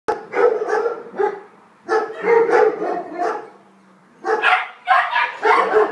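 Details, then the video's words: Female Alsatian puppy, about five months old, handed in as a stray in the Weymouth area, gives bursts of harsh, harmonic barks in quick clusters with short quiet gaps, the last cluster rapid and insistent. "Alsatian puppy"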